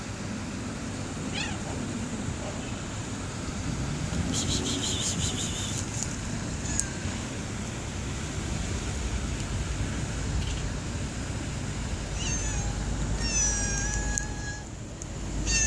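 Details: Stray cats outdoors after rain, meowing several times: a short call early on, a higher harmonic meow around the middle, and a cluster of rising-falling meows near the end, over a constant low rumble of traffic and wet street noise.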